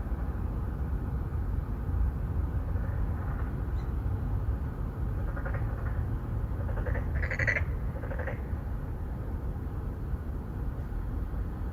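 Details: Three to four Boreal digging frogs calling for mates in an apartment-complex pond in Songdo, Incheon, Korea, filmed on a Galaxy Note9; a cluster of overlapping short, harsh, nasal croaks in the middle, with steady low city rumble throughout.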